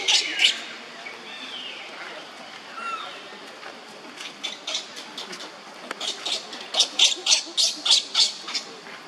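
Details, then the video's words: Young monkey Leo crying on the ground while Libby torments him; harsh, high-pitched screechy cries come in bursts, a few early, then a rapid run of about three per second toward the end over faint background hiss. "Libby always tortures Leo while Leo is crying on the ground"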